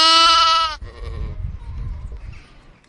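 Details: Lamb giving one loud, harmonic bleat lasting under a second, steady in pitch and cut off sharply, followed by quiet low rumbling background noise for the rest of the clip.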